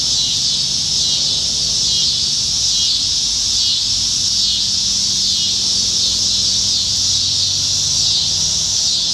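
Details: Many cicadas singing up in the trees on a Nebraska summer evening in July 2019, in a year when they are everywhere; steady shrill buzzing wall of sound rising and falling in gentle swells about every second, faint low rumble underneath.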